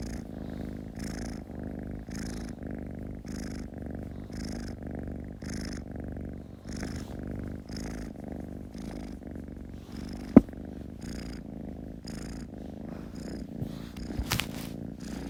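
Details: Kitten purring steadily: a low, continuous rumble pulsing in even rhythm about twice per second, with faint breathy hiss on each cycle and a single sharp click near the middle and another toward the end.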